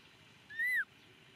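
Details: Single loud cry from baby monkey Momo, left on rocks when his father departs. A thin, tonal wail swells upward, peaks, then drops sharply over about a third of a second above a quiet low hum.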